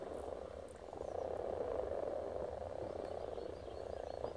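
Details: A crowd of spawning frogs at Silton Forest: continuous overlapping croaks blur into a rapid, rolling purr, rising slightly in the middle, with a faint high bird call in the background.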